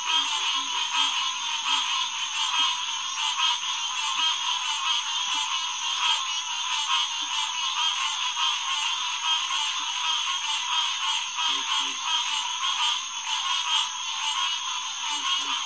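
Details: Green tree frogs (Hyla cinerea) calling in a dense night chorus at Headquarters Pond, June 2, 2021, around 9:10 pm; overlapping nasal notes merge into a steady bright wall of sound, with faint low croaks beneath.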